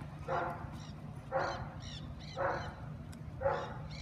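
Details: Young Australian Shepherd named Ollie, in the first week of board-and-train obedience, barks four times at steady one-second intervals. Each bark is a short, loud burst over a constant low hum.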